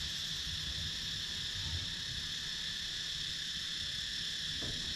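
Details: Countryside cicada chorus from a wooded area in Sakon Nakhon, Thailand, filmed with a GoPro Hero 9 action camera: an unbroken high, hissing buzz holding steady throughout over a faint low rumble.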